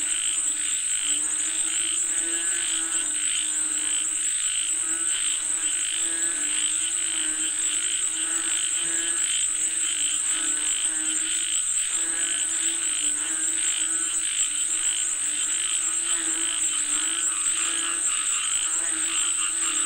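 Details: Many frogs call for rain in a continuous chorus, overlapping rattling croaks in quick regular pulses, with an unbroken piercing high whine in the background.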